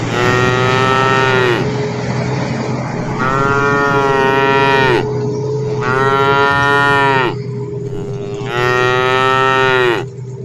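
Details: Cows calling on their way home, four sustained harmonic moos repeated every two to three seconds, each ending with a downward slide, over a constant low engine-like hum.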